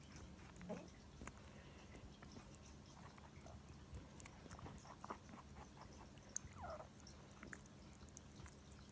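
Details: A female pet rabbit makes rapid, crisp clicking and crunching as she eats a juicy grape, uneven bursts close together over a low room hum.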